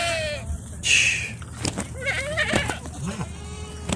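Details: Herd of Bishi goats, 60 adults followed by 30 kids, on the coast north of Al Qunfudhah, Saudi Arabia; short quavering bleats from several animals, with scattered clatter and faint voices.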